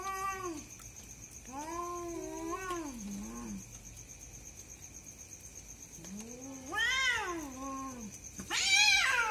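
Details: Two cats fighting at night: long wavering yowls that rise and fall, three drawn-out howls with a sharper cry at the end, over a steady high electrical whine.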